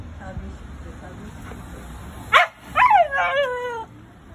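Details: Shiba Inu giving its owner a big welcome home; one sharp yelp, then a drawn-out whining cry that slides downward with clear harmonics for about a second, over low background noise.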